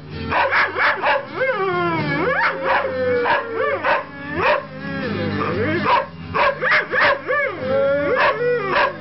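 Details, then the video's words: Saluki and Greyhound howling together along to a Bob Dylan song, long wavering howls rising and falling over loud background music with sharp rhythmic beats throughout. "Saluki boy Milo and Greyhound Harry singing to a Bob Dylan song."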